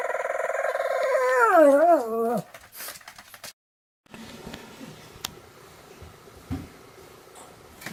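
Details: Pomeranian dog vocalizing in greeting, morning and night: a drawn-out, tonal whining howl that wavers up and down in pitch for about two seconds, then fades, followed by quiet room sounds and a few small knocks.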